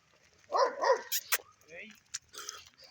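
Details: Kangal dogs fighting, set upon each other: a short burst of harsh, snarling barks and growls lasting about half a second, followed by a few brief sharp sounds and human voices nearby.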